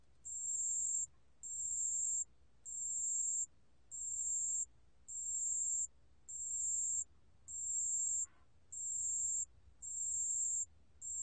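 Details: Pale bell cricket, recorded in 2020 for the National Institute of Biological Resources: very high, clear ringing trills about one second long, repeated steadily roughly once every 1.2 seconds, over a faint low background hum.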